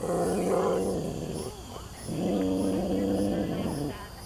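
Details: Captive rescued big cat at a wildlife refuge, showing its keepers who is boss: two long, low, steady rumbling growls, each about one and a half seconds, separated by a short pause, with faint background hum.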